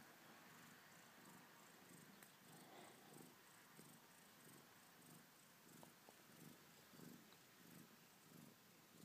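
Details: A Maine Coon mother cat purrs softly and continuously beside her three 2-day-old kittens, a low rumble pulsing about 1.5 times a second. Faint, high kitten mews come through now and then over a quiet hiss.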